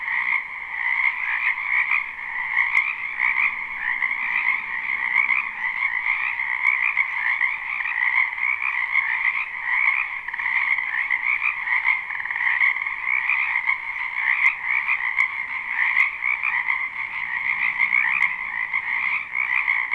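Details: A live spring recording of frogs in a wetland behind a home: continuous overlapping croaks form an even, shimmering trill, with a few brief clicks standing out.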